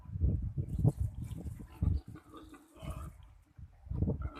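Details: Wild boar giving low, rough grunts in short bursts, about four heavy pulses across a few seconds with quieter rumbling between them and faint background rustle.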